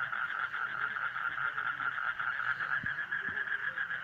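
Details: Frogs calling in a dense chorus, a steady pulsing trill of rapid, mid-pitched notes running without pause, with a few soft low thumps in the background.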